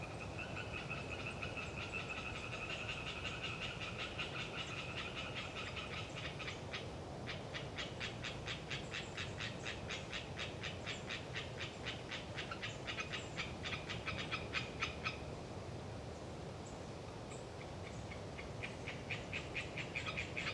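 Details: Audacious chatter of Hyla orientalis tree frogs in the windy Galeriç Swamp Forest of the Kızılırmak Delta, Samsun, in autumn. Overlapping fast, evenly pulsed rattling trains run almost continuously, with gusting wind roaring underneath throughout.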